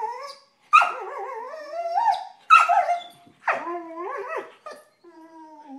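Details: Vizslas at rough play make sharp yips that slide into wavering, quavering whines and howls, several separate bursts with short silences between, ending in a quieter falling whine.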